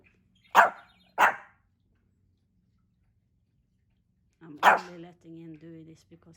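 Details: Pomeranian named Hendo, a male celebrating his second birthday, born 20 August 2021: two quick loud barks, a pause of silence, then another bark followed by a person's voice.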